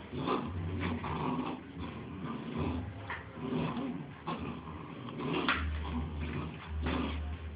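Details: Bull Terrier puppies, two of them, wrestling in play; throaty growls and grumbles come in short bursts, some louder snarls near the end, over a constant low hum.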